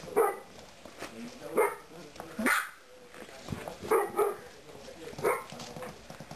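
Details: Bernese Mountain Dog puppies about four and a half weeks old at a kennel: short high yapping barks and yips at irregular intervals, some in quick pairs, with a human voice faintly in the background.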